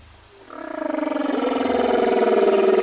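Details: Humpback whale song from recordings released as the album Songs of the Humpback Whale; a long, rich, harmonic moan that starts quietly, swells steadily louder and holds a wavering, pulsed tone that slides slightly upward.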